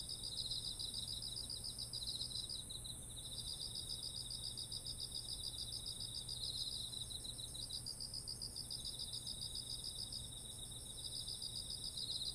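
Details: Beside autumn rice fields heavy with ripe grain, insects call steadily, recorded on a ZOOM H1essential: rapid beaded pulse trains starting and stopping over an unbroken high whine, with a soft low hum and ambient rumble.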